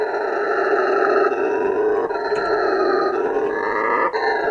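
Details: Male howler monkey roaring, a call used to defend turf and attract females: a loud, continuous, raspy roar with stacked harmonic bands, upper tones slowly rising and falling, breaking briefly near two and four seconds.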